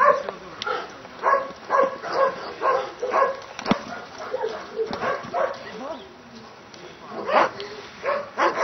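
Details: A Dobermann barks in a quick run of deep, repeated barks, with a voice speaking nearby, during Schutzhund protection work at a Hungarian breeding test.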